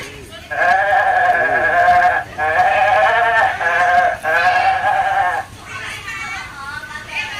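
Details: Goats, including a small kid that has just suckled from its mother, give three long, loud, wavering bleats, each about one and a half seconds, separated by short pauses. A woman's voice is faintly mixed in.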